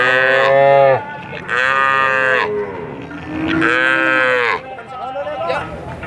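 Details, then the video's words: Very long cattle moos: three loud, bright, harmonic calls about a second each, separated by short quieter gaps, the last one swelling and then fading into faint background noise. "Jangan Heran Dengar Suara Sapi Sangat Panjang Sekali"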